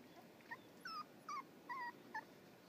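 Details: Six-week-old Schipperke puppies give brief, high, thin whimpers, several squeaky cries in quick succession.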